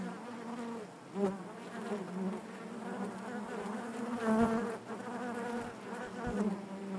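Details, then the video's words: Honey bees buzzing inside their hive: a dense, steady hum centred low with stacked harmonic bands, swelling and fading as individual bees pass close, with faint clicks and bumps of movement in the comb. "bees therapy hive natural buzzing sound"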